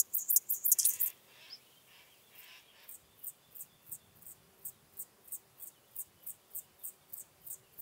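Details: Chorthippus apricarius, the Locomotive Grasshopper, recorded at Moosham, Austria, on 9 October 2020 with an ultrasound detector: a steady run of short, very high buzzy pulses, about three per second, after a louder noisy burst at the start.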